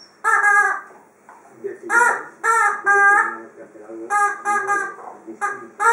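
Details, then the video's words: While she plays with her toy, Freja, a female Dobermann, makes short, repeated harmonic yelps and whines in quick irregular bursts, some paired, with high squeaky tones on top. "my dobermann Freja playing with her toy and making funny noises"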